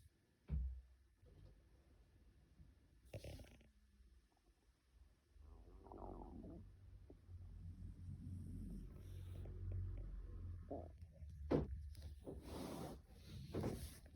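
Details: A still-sleepy white Shiba Inu snoring indoors: low, rough breathy rumbles that swell and fade over several seconds, with scattered clicks and brief knocks between breaths.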